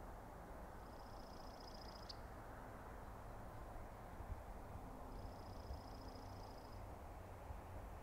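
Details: Elk bull bugles at night, with the Sheriff, the largest bull, confronted by a rival among several other bulls: two faint, long, high, pulsing whistles several seconds apart against constant low-pitched background noise.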